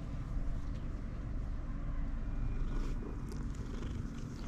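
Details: Rusty, a pet cat, purring loudly out of happiness at seeing his owner while being massaged; a steady, low, rumbling purr runs continuously through the whole stretch, with a faint steady hum beneath it.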